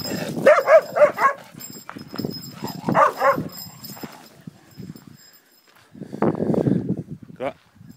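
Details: Kronos the Cocker Spaniel, jealous when other dogs get petted, gives two clusters of pitched, wavering yelping whines early on, then a lower muffled grumble and a brief rising squeak near the end, with human speech in between.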